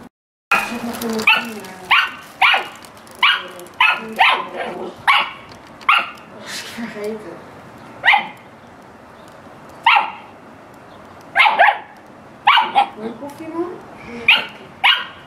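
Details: Dog barking during playtime, with cats around: a steady run of sharp barks, roughly one every second, some doubled, with quieter grumbling sounds in between.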